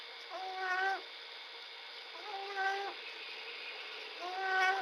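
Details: Small bobcat snoring while asleep, recorded 11 February 2017; three tonal, harmonic wheezing snores come about every two seconds, each rising briefly and then holding a steady pitch over a faint background hiss.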